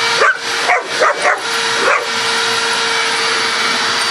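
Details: Coco, a female pet dog, barks at a running vacuum cleaner, which she does non-stop every time she hears it: four or five sharp, quick barks in under two seconds over a steady, loud vacuum hum.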